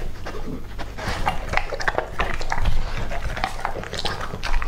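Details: Two-and-a-half-year-old male English-type Labrador Retriever eating raw meat, a whole squab; wet crunching and chewing with irregular clicks and snaps, breathy panting between bites.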